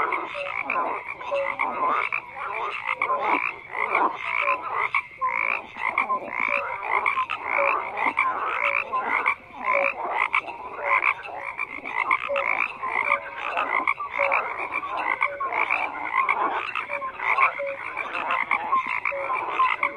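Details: Frogs croaking in a dense, continuous chorus, rapid overlapping rattling croaks stacked in bands through the mid and upper range, with short tonal notes recurring every second or so beneath.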